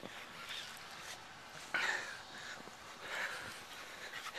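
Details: A Corgador (Corgi–Labrador mix) dog playing in snow gives short breathy whines and pants with two sharper yelping bursts, recorded January 10, 2011.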